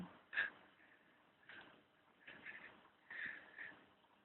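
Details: Charlie the dog snoring: breathy, snorting puffs roughly every second, with a short sharper snort at the start, in a quiet indoor room.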